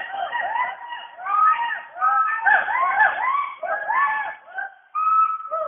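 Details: Western hoolock gibbons calling together from the rainforest canopy in Dampa Tiger Reserve, Mizoram, India, in overlapping, rising and falling whooping notes.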